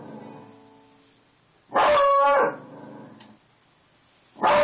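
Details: Buster, a pet dog, howling at the door after hearing wind outside; a loud clipped howl with stacked harmonics lasts under a second, then quiet, then another howl begins at the end.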